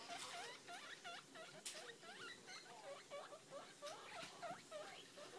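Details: Six-week-old caged guinea pig popcorning over a new litter box, with a rapid run of short squeaky chirps, roughly three per second, falling then rising, over faint rustling throughout.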